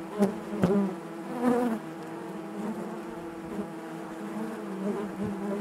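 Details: Inside a beehive, massed honey bees produce an even humming drone, opening with several sharp close buzzes in the first two seconds, then a smoother continuous hum.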